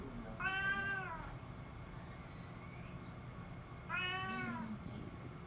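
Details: Pet cat making an appeal with two strong, bright meows roughly three and a half seconds apart, each swelling then sliding downward, against a quiet humming background.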